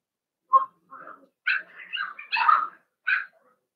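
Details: Blenheim Cavalier King Charles Spaniel puppies, from a litter of five born to Paris and Spike at New Year, in an indoor puppy pen; a short run of tonal, wavering whimpers and yips, sliding up and down, with brief pauses between.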